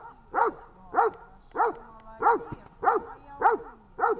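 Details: Tash the dog barking at a training session in Horlivka, 18 August 2019: seven strong, regular barks, roughly one every 0.6 seconds, with a faint voice between them.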